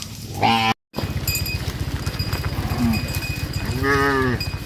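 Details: Among dozens of tame cattle herded back to the farm pen, a short moo opens, then a sudden cut, steady low engine-like rumble, and a softer drawn-out moo near the end.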